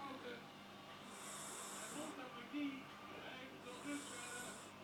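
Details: Fourteen-year-old house cat Minoes asleep and dreaming in REM phase, snoring; two drawn-out hissy breaths about two and a half seconds apart, with television sports commentary in Dutch running underneath.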